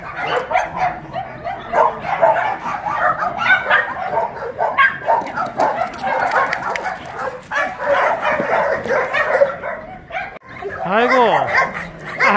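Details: Tosa dogs during exercise time at the Dandelion Shelter, an abandoned-dog shelter in Yangsan, South Korea: many dogs barking and yelping together, with one rising-and-falling whine near the end.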